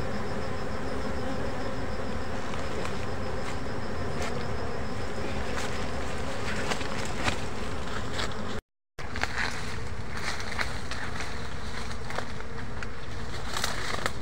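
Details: During a forest honey harvest, rare bees fill the air with loud, rough buzzing, crackling handling noises, and a faint high insect trill in the background.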